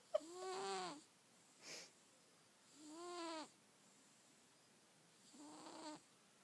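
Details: Snoring house cat during sleep, three arched harmonic snore breaths about a second long, separated by silent gaps, plus a short soft snuffle between the first two.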